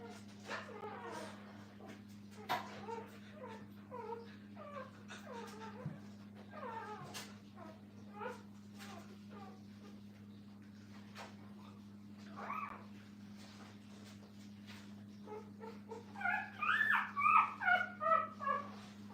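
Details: Brittany puppies with their mother at a kennel, heard in a live stream: a busy run of short, high, squeaky whimpers and squeals, swelling into a louder cluster of cries near the end, over a steady low electrical hum.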